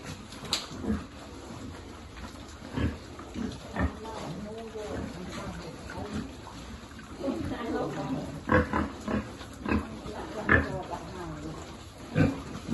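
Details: Piglet at a pig farm being fed, giving scattered short grunts and squeals, with quieter background noise and some human speech between calls.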